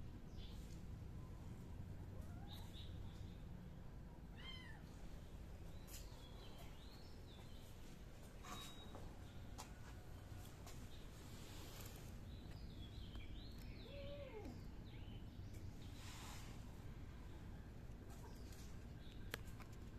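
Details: Miu the kitten gives several short, thin meows, rising then falling, spaced irregularly through the stretch, with soft high chirps and a steady low background hum indoors.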